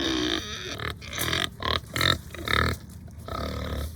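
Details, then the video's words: Farm pigs, hungry, give a series of loud, rough grunts and short squealing bursts in quick succession, some harsh and some slightly tonal. "My Pigs Are Making Funny Sounds"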